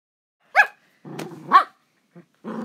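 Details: Two pet dogs at home, one wanting to play and bite while the other tries to sleep in a new fluffy bed: two sharp, high barks with rough growling between and after them.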